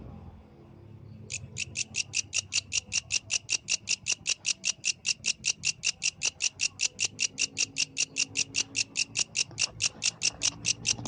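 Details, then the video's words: At night, a yellow grasshopper starts singing after a quiet second: rapid, regular high rasping pulses, roughly four to five each second, keeping an even beat to the end, with soft low hum underneath. "The Melodious Sound of the Yellow Grasshopper, Authentic from the Night Nature"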